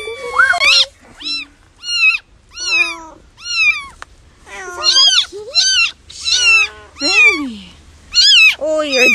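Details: Young cat meowing again and again, about a dozen high, wavering meows, each under a second long with short gaps between them, some rising and others sliding down, with faint background hum.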